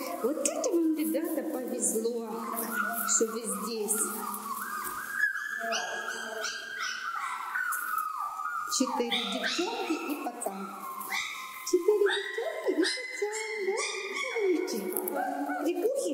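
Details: A wolf pack at Taigan park, with a she-wolf howling, fills the air with overlapping whines, yelps and wavering howl-like cries in a hectic chorus while being fed and squabbling among themselves.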